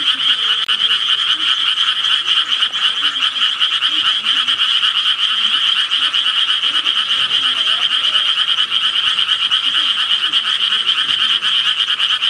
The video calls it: 개구리 울음소리 ASMR